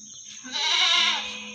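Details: Meat goat at the Singosari animal market in Malang, Indonesia, giving one loud, wavering, nasal bleat of about 0.7 seconds. A steady high background tone and faint low market rumble run throughout.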